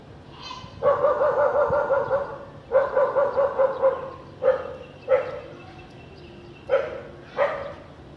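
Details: House dog barking on a sunny afternoon with little clouds in a clean area of Vientiane, Laos, 15 April 2021: two drawn-out harmonic barks with a quavering, whining edge, then four shorter barks in pairs, over faint low background rumble.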